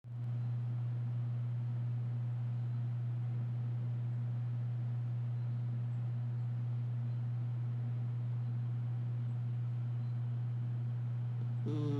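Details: A constant low electrical hum fills the recording, with no snoring or other animal sound.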